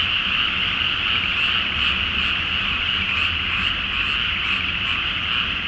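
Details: Night frog chorus in a flooded rice field before planting, full moon, Japan; steady mass of croaking with distinct higher clicking notes repeating roughly twice a second, faint low rumble beneath.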